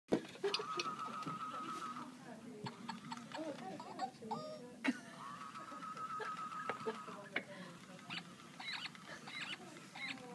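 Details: Guinea pig kept in an office, giving long steady whistling squeals of about a second and a half, twice, over a background of office chatter and tapping noises.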